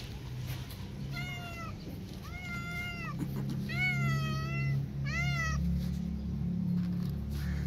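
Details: Hope, a disabled street cat, with her two rescued newborn kittens while feeding them milk; four tonal meows in quick succession, the later ones bending up and down, over a constant low background hum.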